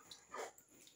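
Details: A Rottweiler kept together with a baby gives a single short, mid-pitched vocal burst lasting under half a second, with a steady high hiss in the background.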